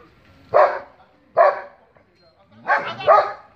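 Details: Dog barking at a stranger: two short sharp barks about a second apart, then a double bark after a pause; a person speaks nearby.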